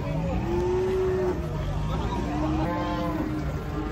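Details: Raging cattle coming down off a truck: two sustained, steady low moos, the first longer and slightly rising, the second shorter, over rumbling engine-like noise and a man's voice.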